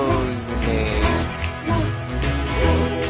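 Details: Soft instrumental music with plucked guitar-like notes and a steady low bass, with no animal sounds.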